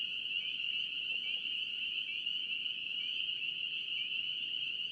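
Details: North Carolina spring peeper frogs in full chorus, countless shrill rising peeps blending into an unbroken high-pitched ringing, loud and even throughout, with only soft background hiss.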